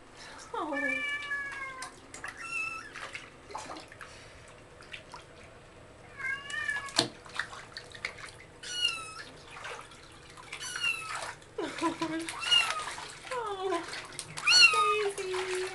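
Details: A tiny calico kitten, a rescued former stray, meows during her first bath while an older cat responds in the background; high thin meows recur through the clip, mixed with splashing water and human speech.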